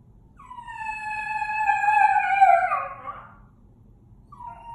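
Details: Domestic dog howling in a coyote-like manner: one long drawn-out howl about two seconds, steady then sliding downward and wavering at the end, with clear harmonics; a short fainter howl begins near the close.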